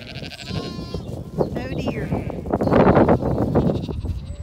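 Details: Zwartbles sheep flock with young lambs on a farm in County Kilkenny, Ireland, being moved across a driveway with a sheepdog's help; a short wavering bleat rises among a farmer's calls and rustling.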